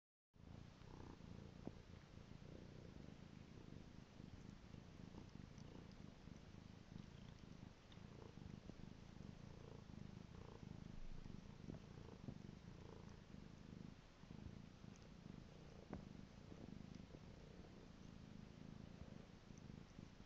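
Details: A pet cat named Piko purring steadily indoors, a low rough rumble pulsing in a fast even rhythm throughout, with faint soft clicks and rustles now and then.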